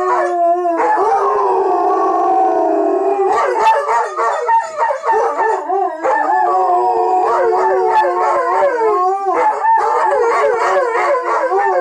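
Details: Billy and Bucky, a Bernese Mountain Dog/Shepherd mix, howling together when asked to sing; loud overlapping wavering howls, sliding up and down in pitch without pause throughout.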